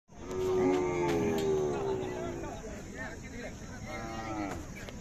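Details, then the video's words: Khillar cow at the Sangola cattle market, recorded 14 April 2024, gives a long harmonic moo lasting about two seconds, then a second shorter moo; a man talks about milk yield and faint music plays. "सागोला खिलार गाय"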